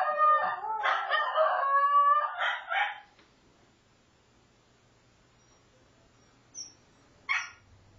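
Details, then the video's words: Two Shetland Sheepdogs howling together, a third dog barking at the end: about three seconds of wavering, harmonic, sliding howls overlapping each other, then near quiet broken by two short, sharp sounds. "Howling Shelties"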